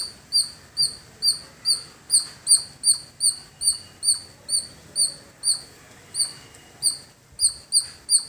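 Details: In a village, a squirrel calls with piercing, high-pitched, short clipped chips, repeated two or three times a second in a long, fairly even run over a faint low hum.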